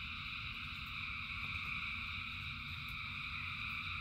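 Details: Thousands of frogs call together during rain, producing a seamless high trilling drone in bands, with faint isolated ticks and a constant low wash of rain underneath.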